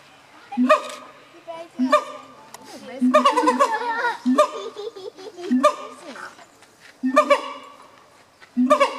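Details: Siamang gibbons, filmed in 2015, give bursts of ringing harmonic barks spaced about every one to two seconds, with a longer tangle of overlapping wavering notes in the middle.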